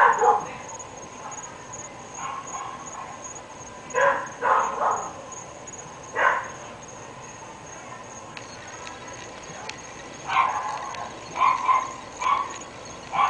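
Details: Three dogs kept at a North Bay Village home, barking in the complaint of neighbours who hear them morning, noon and night; bursts of short distant barks, some in quick doubles and triples, against a faint constant hum.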